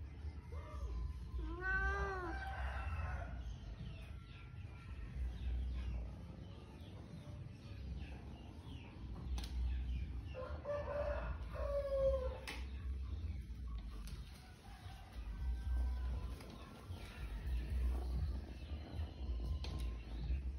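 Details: Cats of a cat family: a pair of short arched meows near the start, then a longer wavering meow around ten to twelve seconds, with faint scattered mews between, all over a constant low rumble.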